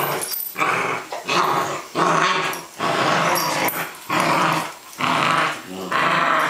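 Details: Welsh Springer Spaniel bitch in rough play with a second dog on a wet day in July 2012, growling hard; six or so harsh, rumbling growls, each about a second long, broken by brief gaps.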